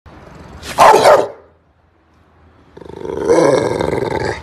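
A Rottweiler gives a single deep, rough bark, followed by a longer low grumbling sound.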